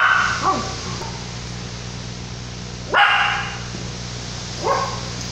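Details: A Yorkshire Terrier puppy gives a few short, high-pitched yappy barks over a steady roar of wind and rain during Tropical Storm Lidia, 2017, in La Paz, Baja California Sur, Mexico.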